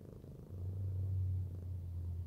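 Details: Arya, a fluffy domestic cat, purring during cuddling; a short, deep, even hum that swells after half a second and holds steady.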